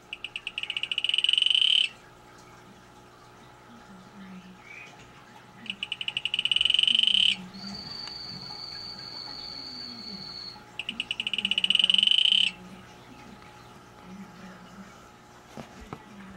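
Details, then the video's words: A calling male Atelopus hoogmoedi gives three long buzzy pulsed trills, each speeding up into a dense rattle, spaced about five seconds apart; a steady high whine runs between two bursts, low chirping insects or frogs faintly behind. "Male Atelopus hoogmoedi calling"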